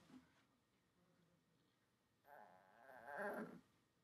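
A Shih Tzu puppy gives a drawn-out, nasal grunting vocalization after a quiet pause.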